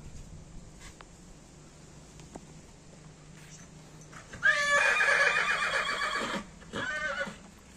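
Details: Horse kept for farm work, riding and pulling carriages, giving a loud whinny in the second half: a harmonic-rich neigh opening with a sweep near the top, a wavering tremulous body, then a brief second burst, over quiet background hum.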